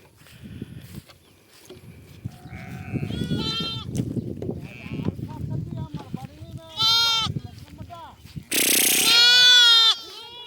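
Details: Lambs running about, giving a series of high, quavering harmonic bleats that grow louder toward the end, the strongest two near the close; people talking and faint music in the background between calls.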